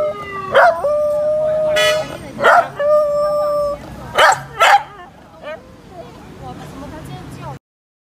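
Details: Corgi howling like a wolf: sustained tonal howls rising then holding steady, interrupted by short loud yelps and bursts of human speech, trailing off into quiet background noise.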